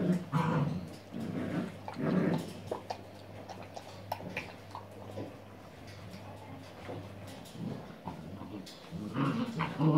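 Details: Playing puppies recorded on 6 January 2016, giving low rumbling growls in short bursts near the start and end, with a quieter stretch between; human voices talk over the play.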